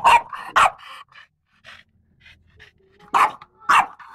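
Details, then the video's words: French Bulldog, described as wild and excited, barking: two sharp barks, a pause with soft panting and faint noises, then two more loud barks near the end. "FRENCE BULLDOG LARA WILD DOG"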